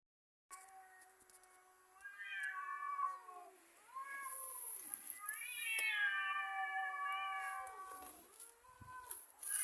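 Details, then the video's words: Two cats fighting, giving long drawn-out yowls that rise and fall in pitch, rough and wavering, in overlapping waves with short dips between them. "Two cats: Funny noises"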